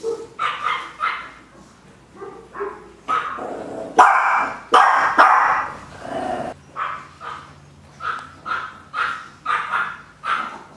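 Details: Several Chihuahua puppies kept for sale bark and yip repeatedly, sharp high yaps coming roughly every second, with a louder, denser cluster of barks in the middle.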